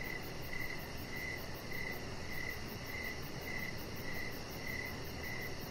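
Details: Evening crickets around a deck where Rocket the Chihuahua puppy rests. Crisp chirps recur roughly twice a second in a steady rhythm. A faint, fast high-pitched pulsing sits above them, with a low rumbling backdrop throughout.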